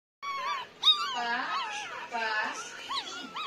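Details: Nine-day-old Pomeranian puppies crying indoors: several high, arching whines overlap, rising then falling in quick succession, with a brief sharper squeal near the start and soft background music.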